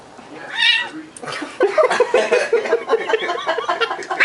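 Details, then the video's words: A new kitten being petted while it eats gives a brief high wavering cry, then a rapid run of pulsing growl-like squeaks over its food, likened to a squeak toy, with voices in the background. "Kitten making funny noises while eating."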